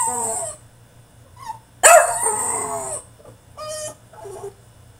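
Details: French Bulldog in his cage throwing a tantrum: a drawn-out high whine, then a loud strained howling yelp lasting about a second, followed by two shorter whimpering cries.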